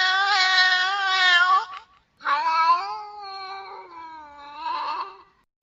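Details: Female domestic cat in heat calling: a loud, harsh, sustained yowl of nearly two seconds, a short silence, then a longer, lower, wavering moan that swells again near the end before fading.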